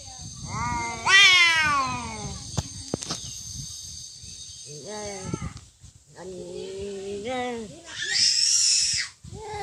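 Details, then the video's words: Domestic cats fighting: a sudden high yowl slides downward, followed by lower moaning growls that waver and rise, ending in a harsh hissing spit. "Real cat fight |Fighting cats|"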